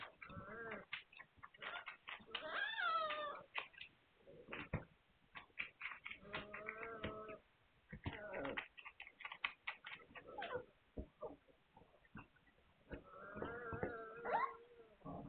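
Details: Young Hungarian Vizsla puppies whimper and squeal, some cries rising then dropping in pitch, others held steady, with bursts of clicking and shuffling between them, recorded 9 March 2021.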